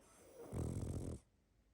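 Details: Sleeping pug giving a single deep, rumbling snore lasting under a second, low and throaty, rising out of a quiet room and cutting off abruptly into near silence.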